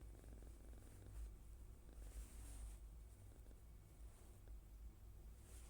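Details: Sleeping female Minuet kitten, born November 2020, curled up with its face hidden indoors; soft, low rumbling snore-like breathing that keeps up steadily with gentle swells, very quiet, no other clear sounds.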